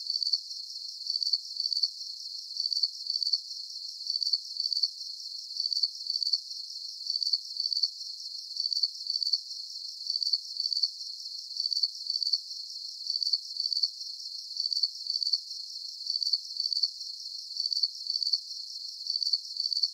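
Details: Calming cricket chorus: bright, shrill chirps pulsing in a highly regular rhythm, each burst a quick trill, evenly spaced roughly every half second throughout, over a soft high hiss.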